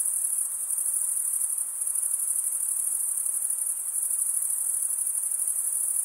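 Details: Male crickets chirping by scraping a serrated wing vein, blending into one constant high, shrill ringing with subtle rapid pulses and a steady loudness, free of background noise.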